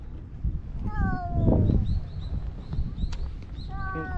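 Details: Stray cats squaring off in a park during a spring fight, Tetra battling while Karin and Shiro look on: drawn-out harmonic yowls falling in pitch, two bouts, with a person's Japanese voice urging them not to fight.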